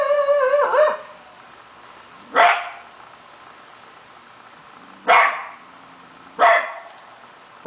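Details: A Shiba Inu that normally never barks, newly taken to howling, gives a brief wavering howl, then a few sharp, widely spaced barks.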